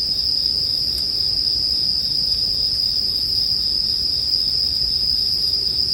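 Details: Steady, bright ringing of bell crickets fills the air without pause, layered over the gentle crackle of a bonfire.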